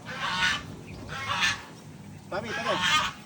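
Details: Domestic goats at feeding time: three hoarse, harsh bleats, each roughly half a second long and about a second apart, the last one slightly more tonal, over low background rumble.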